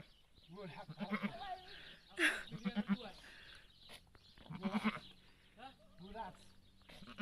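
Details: Nanny goat in labour, delivering her kid: quavering, tremulous bleats come early and again near the end, set among frequent human voices chatting nearby.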